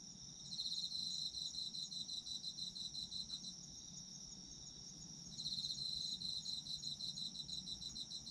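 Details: Chorus of autumn insects for sleep: dense high-pitched pulsed trilling in bursts, loud for the first few seconds, easing to a softer steady chirr, then swelling again near the end, with a soft low hum beneath.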